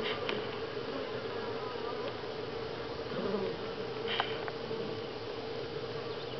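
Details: Continuous humming of honey bees at Grass Lake Sanctuary, week 6, recorded July 2011; a constant mid-pitched drone from many insects with a few short taps and rustles over it.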